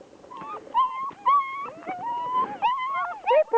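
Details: Three German Shepherd puppies, six weeks old, whining and yelping: a run of sliding, wavering high whines, some rising then dropping, with sharp short yelps near the end; quiet background.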